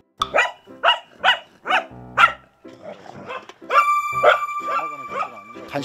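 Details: Welsh Corgi puppy, a dog fond of escaping, barking in a quick series of sharp barks about twice per second, then a pause and further barks mixed with a sustained tonal whine and background voices.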